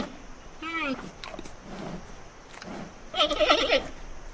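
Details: Panda bear calling with two short bleats, the second a loud, wavering, tremulous bleat lasting about half a second, after faint scattered sounds against a low background hiss.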